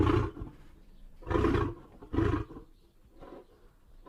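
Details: Lion delivering deep, rough grunting roars, three strong bursts followed by fainter trailing grunts, each heavy with low rumbling tone.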